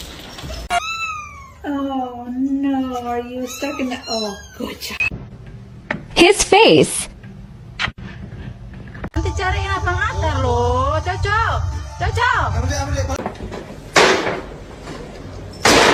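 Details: Several drawn-out cat meows, bending up and down in pitch, come in two bouts separated by clattering noise and speech, with a later wavering, whiny cry and background voices.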